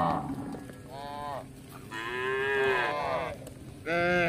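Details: Tame cattle roaming through a village seeking grass: a short moo, a longer drawn-out low swelling in the middle, then a sudden strong moo at the end, with faint background hiss.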